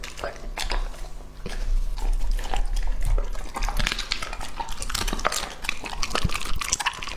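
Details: Indoors, Lucky, a male English-type Labrador aged two and a half, chews through a plated meal of beef Wellington, vegetables and goat-milk jelly. Rapid, uneven wet smacks and crunches run without pause, with a faint low hum behind.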